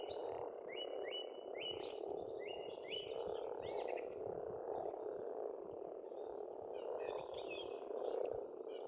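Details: Frogs croak together without pause at an Estonian pond in spring; above them a bird repeats a series of rising whistled notes before other birds chirp in.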